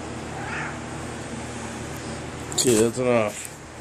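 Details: Kaiser, a pet cat indoors, 'telling' about his day: after a quiet stretch of room hum, two short, harmonic, slightly rising meows arrive in quick succession near the end.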